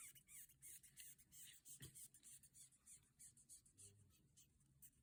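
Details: Raspy, clicking squeaks from a longhorn beetle, repeated roughly three times a second but with uneven spacing, over a quiet background with one sharp tap.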